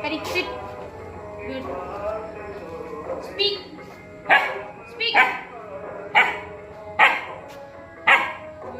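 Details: Rottweiler puppy in training gives short sharp barks, roughly one per second through the second half, with background music and a person's voice early on.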